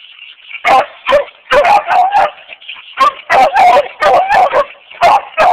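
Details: Old coonhound named Bo barking in repeated short bursts, about a dozen barks over five seconds in loose groups of two and three, with a faint steady hiss in the background.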